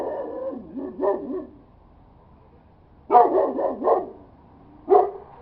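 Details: Domestic dog howling and barking: wavering, yelping howls at the start, then a burst of rough barks with a rising howl, and one short final bark after a pause.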